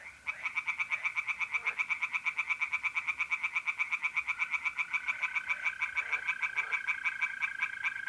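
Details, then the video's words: Tree frogs singing in a pond at night in mid-April, North-East Italy: a dense chorus of rapid, rasping pulses, steadily repeated, over the steady high trill of mole crickets throughout. "singing tree frogs in pond"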